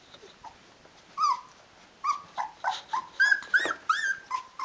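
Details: Rhodesian Ridgeback puppies, 16 days old with eyes open, calling their mother to feed them: several short high whines and squeals, some rising and falling, in a quiet indoor room.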